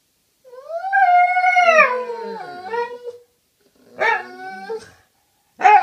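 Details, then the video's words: Dogs talking to each other: one smooth sustained howl near two seconds long that bends downward at the end, then a short yelp and the start of another call. "Cute dogs talking to each other"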